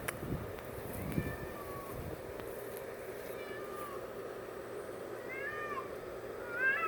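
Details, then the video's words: Female domestic cat making weird, creepy noises indoors: a series of soft, short meows that rise and fall in thin arcs, some drawn out and wavering, over a steady low hum with a few faint knocks. "Weird cat noises"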